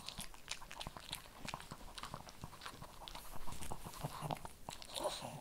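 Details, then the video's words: Shih Tzu munching kibble, with a fast series of dull, bassy crunches and clicks, growing fuller and louder in the second half. "ASMR SHIH TZU THE MOST CHEWING, RELAXING, PET, PUPPIES, KIBBLE"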